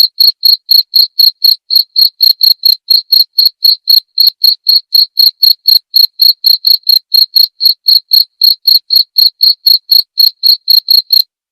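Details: Steady cricket chirping intended to tutor songbirds and serve as therapy: an unbroken train of sharp, high, evenly spaced pulses, roughly four a second, clean with no background noise.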